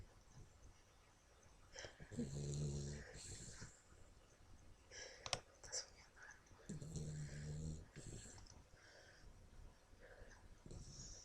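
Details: Sleeping pet dog Toby snores in two long, rasping, buzzy breaths a few seconds apart, each with a droning harmonic tone, separated by quieter wheezing and snuffling inside a small room.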